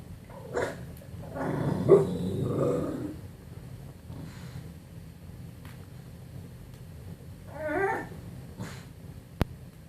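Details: English Bulldog making funny noises: low rumbling grunts and snorty growls around two seconds, then a short nasal whiny snuffle near eight seconds, with quiet pauses between.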